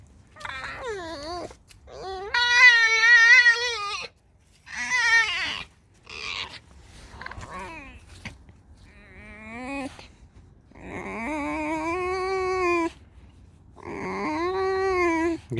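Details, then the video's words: Pet fox indoors squeaking as it comes to be scratched: a run of loud, wavering, whining squeals and rising yelps, some long and drawn out, others short, with brief silences between and a woman talking softly. "Алиса - лиса. Скрипит, звук потише сделайте"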